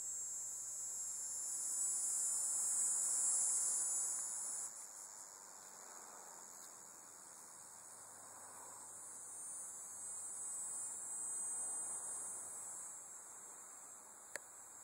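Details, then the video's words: At Bohemia Equestrian Center, Bohemia, New York, on 6 September 2012, a dog-day cicada gives a loud, high sizzling drone that peaks around three seconds and cuts off abruptly near five seconds, leaving a softer, wavering insect hum. "Tibicen Canicularis Calling II"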